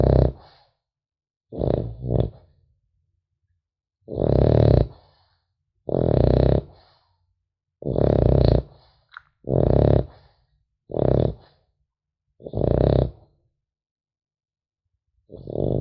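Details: French Bulldog puppy snoring while sleeping, a long run of about ten gravelly, grunting snores, some short and doubled, others drawn out, coming every one to two seconds, with a faint whistle in one breath.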